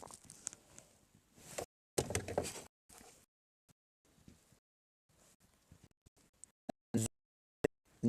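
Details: Muffled speech and knocking, door-like sounds with stretches of near silence; no animal calls can be picked out.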